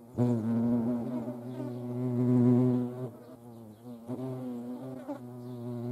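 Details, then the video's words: Low droning buzz of a hornet being hand fed in the Eifel, loud and continuous for three seconds, then dipping, breaking briefly and resuming in wavering bursts. "Hornissen vor der Kamera. Handfütterung"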